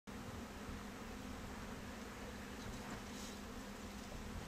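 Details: Honey bees kept in boxes on a Bangladesh bee farm make a steady, low droning buzz at an even pitch with a soft hiss behind it.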